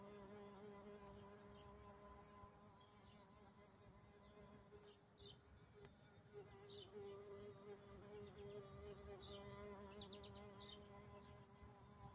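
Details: Carpenter bee burying itself in a big dragon fruit blossom, its wings holding a continuous even buzz with a rich ladder of overtones for the whole stretch, and scattered soft chirps of birds in the background.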